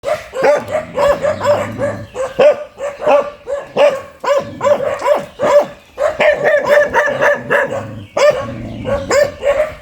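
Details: Fierce dog barking aggressively, a rapid series of loud, harsh barks repeated in bursts of roughly two per second across the whole recording, with short pauses between runs.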